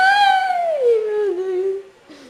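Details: A cat gives one long, drawn-out meow, held for nearly two seconds and sliding steadily downward in pitch before tailing off. A faint, shorter sound follows near the end.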